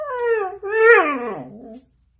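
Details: Siberian Husky being dramatic indoors, giving two loud harmonic whining howls, the second rising then sliding down, while a person talks about not buying bacon.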